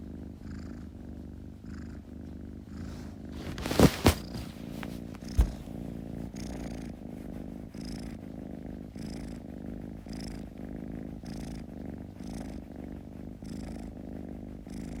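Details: Purring kitten, deep even rumble with gentle rhythmic breath pulses about every second, a few sharp clicks near the four-second mark interrupting briefly.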